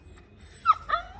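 A Siberian husky puppy gives two brief, high, tonal howls, the second sliding gently downward.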